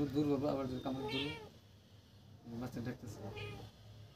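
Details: A cat playing with a rat gives soft, quiet meows in two short bursts separated by a pause, with background music.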